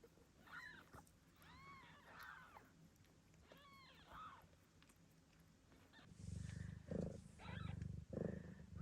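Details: Newborn Ragdoll kittens from Gambit's litter, Australia, giving several arched mews in the first half, then loud low rumbling handling noise mixed with a few more mews.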